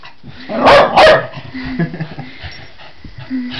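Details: Male Jack Russell Terrier cross, a pet dog humping its owner's leg, gives two quick sharp barks in close succession. Low grumbling sounds and thin whine-like tones follow, with a faint steady hum underneath.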